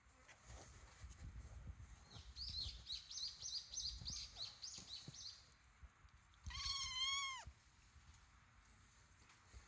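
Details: 23-day-old kittens: a quick run of thin, high squeaky chirps, then one longer, clear, harmonic-rich mew that slides downward, over low background rumble.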